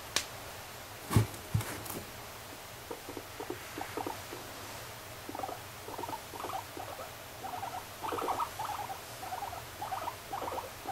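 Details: Indoor pet guinea pig Moru-chan starts with two loud knocks, then a string of soft pulsed chuttering notes that grows busier toward the end.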